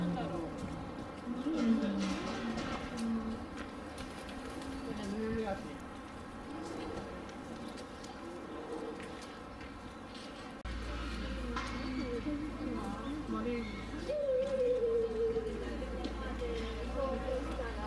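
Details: Elderly male spectacled bear (born 1990) with a female at Tennoji Zoo, Japan, late December 2022, gives low, wavering, cooing whines bending up and down in pitch; spectacled bear.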